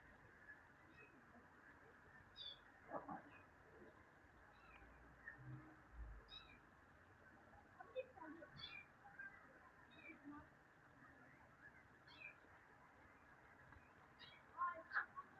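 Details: Cats in summer, giving a run of faint, short, high meows scattered every second or two across the clip, each a quick bright chirp over a steady low background hiss.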